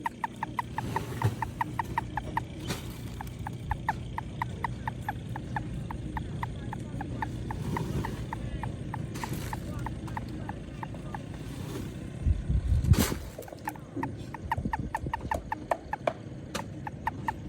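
A toad gives a long series of quick, evenly spaced pulses, forming a steady rattling trill.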